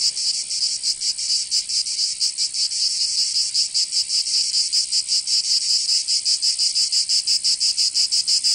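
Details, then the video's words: Cicadas singing in summer in Provence, southern France: a dense, continuous high buzzing chorus pulsing in rapid regular beats, with no other sounds. "Canto Cigarra 🦗 [ Escuchar les cigarras en verano 10 H]"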